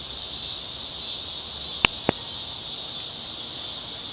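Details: Chicago street cicadas on a cloudy summer evening in August 2010, their high steady buzz filling the air, interrupted by two sharp clicks close together near the middle.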